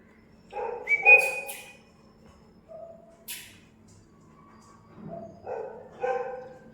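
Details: Newborn Labrador Retriever puppies on day 17, which have begun fighting among themselves, give several short high whines and yelps, one a thin rising whistle-like squeal, separated by pauses, over a low steady hum.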